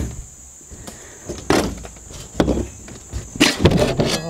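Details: Thumps, a sliding door and faint voices over a steady high hiss, with no animal calls. The sounds are broad knocks and scrapes from household work outdoors.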